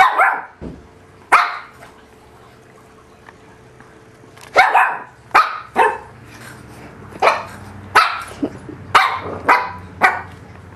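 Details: Mabel, a three-month-old Shih Tzu puppy, indoors in a kitchen play pen in Bozeman, Montana, April 2007, barking while discovering a tuna can: about a dozen short, sharp, high yaps, the first few spaced widely, then quicker bursts near the end.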